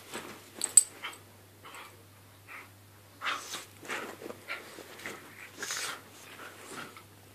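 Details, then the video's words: Staffordshire Bull Terrier and Jack Russell Terrier playing indoors in a small room; scattered short growly bursts, snorts and yips, with brief louder peaks and quiet gaps, plus a steady low hum underneath. "Staffy v Jack Russell"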